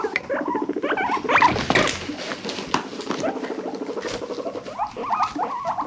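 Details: Pet guinea pigs from a rescued indoor herd: dense overlapping squeaks and pulsed chattering, rapid and irregular, with higher rising wheek-like notes scattered through, all fairly loud.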